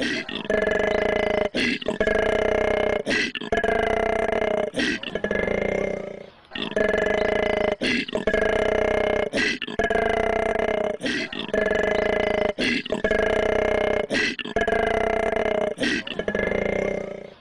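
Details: A koala's growl runs as a steady series of throbbing, snoring drones about one to two seconds long, each cut by a short noisy breath, repeated without pause for over fifteen seconds.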